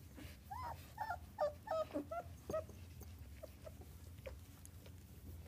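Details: Three-week-old German Shepherd puppy whimpering while getting a belly rub; a run of short, rising-falling squeaky whines comes in quick succession early on, then fainter scattered peeps over a low background hum.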